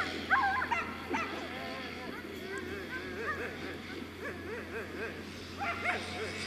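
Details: Excited Afghan Hounds barking during the Makkarajuoksut race in Tampere on 2 October 2016: loud, irregular barks open and close the stretch, while voices and chatter fill the middle over a constant low drone.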